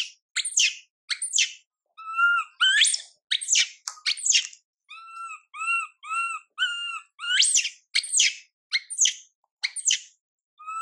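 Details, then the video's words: Young female monkey Mila cries out, ignored by her mother Milika: piercing high screeches mixed with a run of short, even, moaning coos in the middle, each burst separated by short silences. "Mom MILIKA doesn't care monkey MILA cry, PIty girl MILA cries out"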